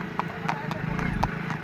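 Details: Ridden horse on a Sunday ride around Narnaul, India, its hooves striking in a quick clip-clop rhythm, crisp knocks roughly every quarter second, with a voice talking over the steps.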